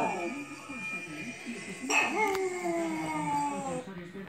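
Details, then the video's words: A small Chihuahua howls on hearing bells, a thin, high howl sliding slowly downward, with murmuring voices behind; Chihuahua. "Chihuahua PIPO aullando. Perrito pequeño."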